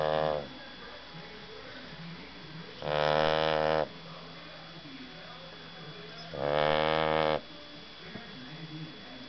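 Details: Sleeping dog named Silky snoring in a quiet room, with two long, loud, buzzy snores roughly three and a half seconds apart, each lasting about a second and full of layered droning tones, plus a faint tail of a third.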